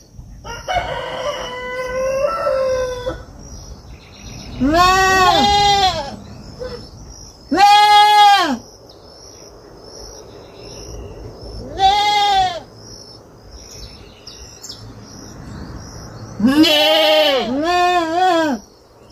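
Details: Farm kid goat with several loud, wavering bleats spaced a few seconds apart, preceded by a different shorter, stepped animal call at the start and a faint high hum throughout.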